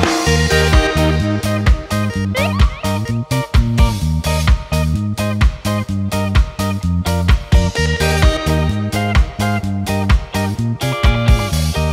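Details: Plucked electric guitar music with a steady funky rhythm and bass plays throughout, with no animal sounds.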